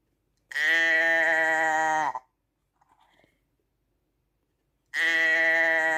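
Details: A sheep's bleat: one full, even, reedy call lasting over a second and a half, ending in a brief falling wobble. Faint shuffling sounds follow in the pause, and another bleat begins as the recording closes.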